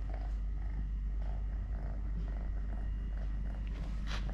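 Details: Three-legged cat Totoshka, who lost a leg when his mother accidentally bit it at birth, purring in a deep, unbroken pulsing drone, with soft scattered ticks and a brief hiss-like rustle toward the close.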